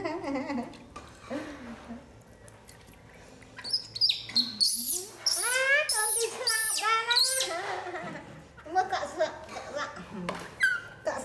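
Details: Baby monkey, an orphan picked up from the jungle by villagers, wails in anger while being bathed. Quiet talk gives way to a run of quavering, rising and falling shrieks, then scattered squeals, with Indonesian speech throughout.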